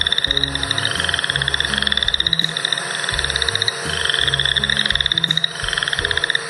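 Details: Chorus frogs, cited among the wetland amphibians of the Calgary area, give rapid, rising pulsed trills over and over above a soft, low musical hum.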